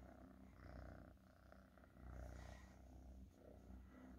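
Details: Domestic cat purring close up, a continuous low rattling rumble that rises and falls gently with each breath, with slight rustling in the background.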